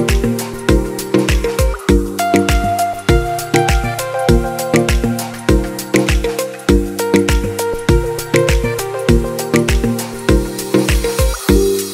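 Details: Upbeat instrumental music with a steady, driving beat and repeated percussive hits; no animal voices are heard.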